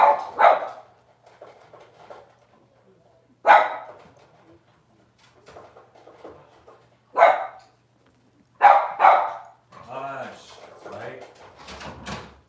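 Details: Six-week-old Cavalier King Charles Spaniel puppies in a puppy pen, handled while being dewormed and having toenails trimmed; short sharp barks burst out at irregular gaps, about five in all, with a quick double near the end, then softer drawn-out voiced sounds.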